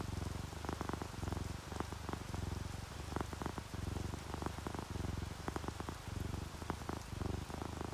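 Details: Drowsy orange tabby and calico house cats purring in relaxation, paired with rainfall. A continuous deep purr rises and falls with each breath, roughly two cycles per second, over a soft hiss of rain and drips.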